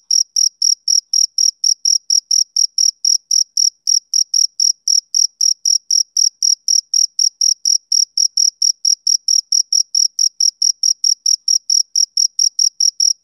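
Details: Rhythmic chirping by a male cricket on a summer evening, a long run of short shrill pulses roughly four per second, uninterrupted and alone in silence.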